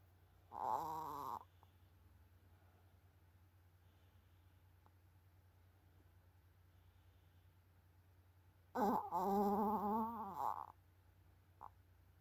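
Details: A sleeping Chihuahua, worn out after playing football with a ball, gives two drawn-out, wavering, nasal snores several seconds apart.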